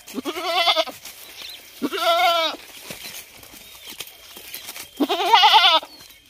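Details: ['Goat bleating three times, each call a wavering nasal cry of under a second with strong harmonic bands, separated by quiet gaps with faint background clicks and a steady high tone.']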